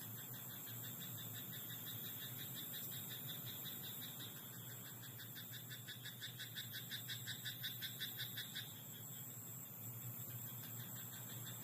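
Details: Frog in a rice paddy at night, its croaks forming a quick rhythmic series that swells in the middle and then fades, over a continuous shrill background tone.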